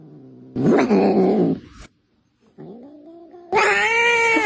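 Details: Pet cat making a noise likened to a car: three loud, drawn-out, strained yowls with rich harmonics. A long grinding cry is followed by a silent gap, then a shorter rising whine and a final bright, sustained wail.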